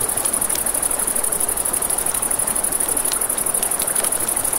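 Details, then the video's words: Crickets calling at night near a river, a bright, fast-pulsed trill held without pause, mixed with frequent crackles and pops from a campfire and the murmur of the stream. "Crackling Fire, Crickets, Ambient Nature Sounds"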